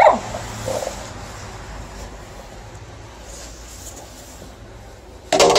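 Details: An adult female Alaskan Malamute, at night after fresh December snowfall, vocally protests her owner shoveling snow: short, loud, wavering protest vocalizations with a quiet stretch between them.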